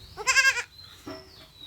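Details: Kid goat, castrated during a farm procedure, gives one short, loud, trembling bleat lasting under half a second, followed by a faint murmur and low background hum.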